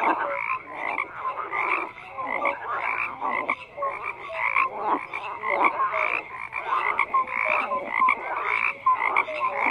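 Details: Many frogs croaking together in a dense chorus, rapid rough pulsed croaks overlapping continuously, strongest in mid to upper pitches, with steady rhythmic bursts roughly every half second and no other clear sounds.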